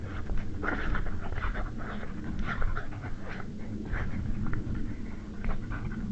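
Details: Evening fight between European badgers over a sett in Estonia, March 2016: dense runs of hoarse, snarling growls and short yelping bursts, several per second, with loud peaks near the start and middle, over low rumble.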